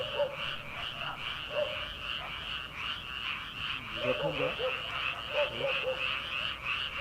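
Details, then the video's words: Frogs calling from rice paddies in early summer, late at night before rice planting: a dense, continuous chorus of rapid trilling croaks, with lower individual croaks pulsing through every few seconds. "초 여름 개구리 울음소리/ 논에서 들리는 개구리 소리"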